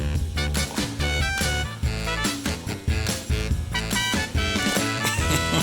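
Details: Upbeat swing music with a steady beat, horns and bass, and no animal sound.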